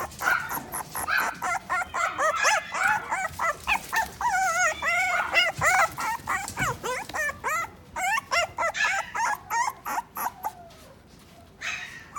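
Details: Pet-shop toy poodle in Odawara, Japan, yapping excitedly in rapid, high-pitched bursts of short barks and whiny yips, nearly continuous for about ten seconds, then tapering off with faint background rustling.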